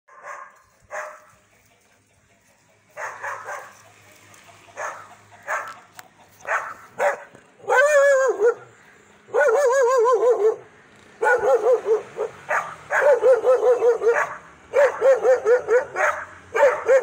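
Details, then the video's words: Dogs barking aggressively in sharp, harmonic bursts, at first sparse single barks, then long runs of rapid yelping barks from about eight seconds on, with brief pauses between volleys. "Dogs Aggressive Video Dogs Barking"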